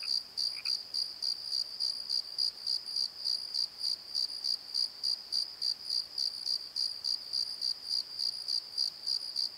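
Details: Crickets at night in a valley bottom under a tree, chirping in a steady shrill pulse roughly three times per second, with one brief lower chirp near the start.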